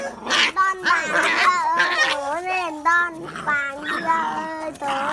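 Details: Phu Quoc Ridgeback puppies from the litter of Saga and Bơ give wavering, overlapping whines with strong overtones, rising and falling in quick succession, several voices crowding together in a steady stream.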